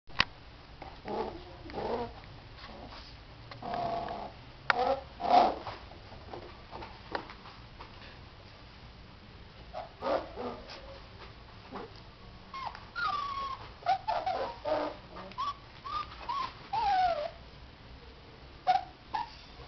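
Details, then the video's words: Border Collie puppies, 24 days old, indoors after they have begun leaving the whelping box: scattered short whines and yelps, some rising and falling, with quiet gaps and occasional soft rustling between calls. "Filhotes de Border Collie"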